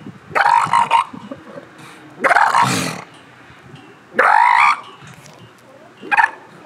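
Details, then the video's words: Northern elephant seal pup giving four loud, harsh, nasal calls about two seconds apart, each a short burst with a strong tone near the middle and some rising at the onset, separated by quiet background. "Baby Elephant Seal Sound Test"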